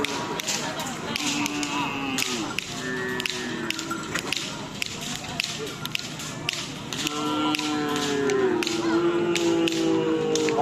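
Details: Busy outdoor event at a bull race on Sapudi Island, with loud music, voices and repeated sharp taps or whip-like cracks, and no clear animal call.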